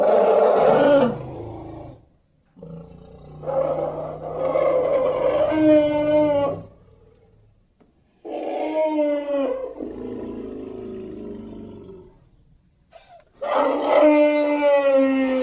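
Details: Elephant roaring in four long, harsh, tonal bouts of one to four seconds each. The pitch bends and wavers, with low rumbling underneath and short silent gaps between bouts.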